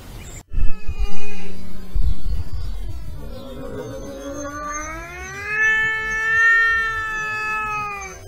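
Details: European wildcat (Felis silvestris) in mating season, meowing: after a brief low rumble, a long drawn-out wavering wail slowly rises in pitch, rich in harmonics and held for several seconds.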